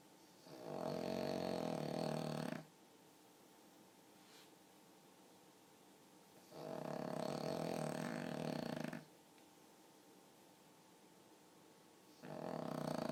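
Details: Pug dog snoring in its sleep, sounding remarkably like a person: long grating snore breaths of about two seconds recurring roughly every five to six seconds, with quiet gaps between, inside a calm room.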